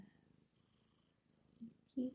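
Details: Domestic cat purring softly while snuggling in an office: a low, steady, pulsing rumble throughout, with a person talking gently to it near the end.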